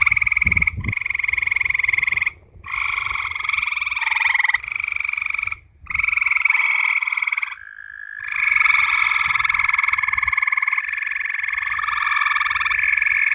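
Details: Several frogs trilling at night: overlapping buzzy pulsed trills at differing pitches, some stopping and restarting after short pauses, forming a layered rattling chorus.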